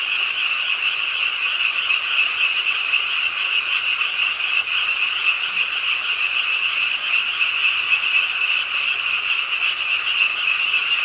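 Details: Dense frog chorus at a city park pond, Ingye Art Park in Suwon, late on a rainy night, with a continuous high buzzing trill from many callers sustained for the whole stretch.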